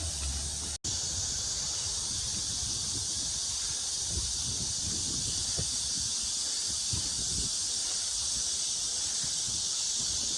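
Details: Cicadas singing on a sunny early afternoon around 1 pm on 2 August 2021 at Mujinjeong, by a pond: a dense, steady, high-pitched buzzing drone that never pauses, broken by a brief cut near the start, with soft low rustling and rumble beneath.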